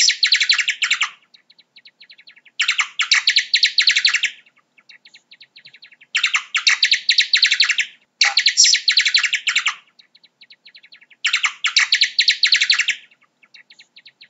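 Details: High, chattering bat squeaks in five loud bursts, each lasting over a second. Faint, evenly spaced ticks fill the pauses, with no other sounds present.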